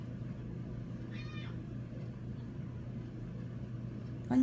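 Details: In the morning, a Scottish Fold cat gives a brief, rising-and-falling meow as a wake-up call to rouse its owner for school, amid quiet household hum.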